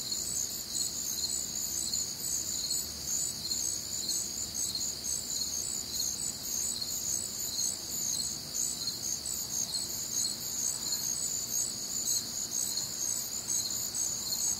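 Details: Night-time chorus of crickets recorded on a warm, humid summer night in the Midwest, among other nocturnal sounds. Many insects trill together in high, layered bands, a constant shimmering pulse without pause.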